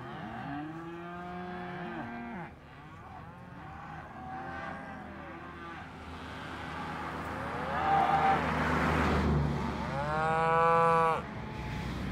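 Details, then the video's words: Cows lowing in a herd, drawn-out harmonic moos of varied pitch, some low and flat, one high arching bellow near the end, over a steady low rumble. "Voice of Cows"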